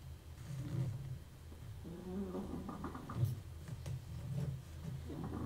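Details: A dog snores indoors while a 1974 Seiko wristwatch is serviced nearby: low, rumbling breaths come in uneven surges every second or so, with faint clicks of small tools and a steady room hum underneath.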